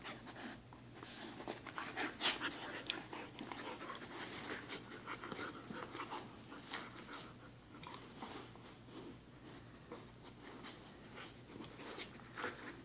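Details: Pet dog panting indoors: rapid, breathy huffs in uneven bursts, with faint background rustling and occasional soft sounds.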